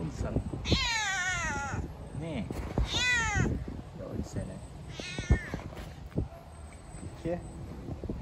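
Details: Hungry stray yellow cat living on the street, crying with drawn-out harmonic meows: three clear wavering calls near the start, middle and five-second mark, each about a second long, over low outdoor rumble and faint human voices.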